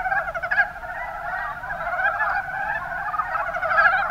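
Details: Mountain brown frogs, Rana ornativentris, from Kumamoto, Japan, in full chorus; dense, throaty pulsed croaking from many animals blends into one unbroken chattering sound that grows slightly louder toward the end.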